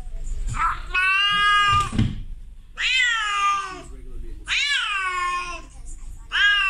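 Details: Domestic cat, a female in heat calling to a male outside, gives loud wailing meows that swoop upward and then sag, each over a second long and repeated every one to two seconds, indoors.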